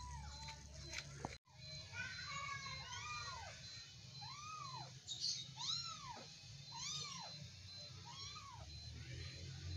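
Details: Kittens wrestling and play-fighting give about seven high, arched meows, each rising then falling, spaced a second or so apart after a sharp knock early on, over a steady low hum.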